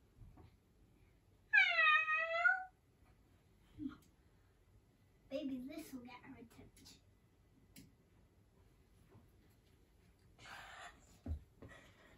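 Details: One loud, drawn-out cat meow near the start, bending slightly downward. Quiet room sounds, faint murmuring and a few soft knocks follow.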